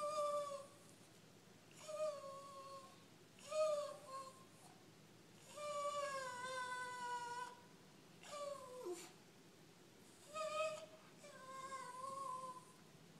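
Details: A female dog walking backwards and talking because she needs to go out to pee: a run of drawn-out, tonal whining moans, several slurred and falling in pitch, with short pauses between them in a quiet room.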